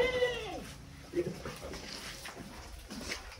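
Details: Large Senduro Etawa goat during bathing: a short, falling bleat opens the moment, followed by a brief grunt, splashing and murmured human voices.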